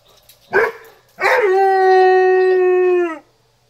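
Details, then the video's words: A Weimaraner in Alabama gives a brief yelp, then a long, steady, mournful howl set off by a tornado siren. "Weimaraner Howling at Tornado Siren"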